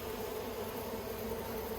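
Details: Continuous humming of many honey bees at the yellow hive, Australia, 9 October 2021, the colony working plastic frames; an even, low buzzing drone holding steady throughout, with a slight wavering in loudness.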